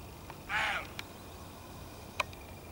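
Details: At dawn near Gijón, one of two male roe deer (Capreolus capreolus) surprised by observers gives a single hoarse, rasping bark, warning that their presence is unwelcome.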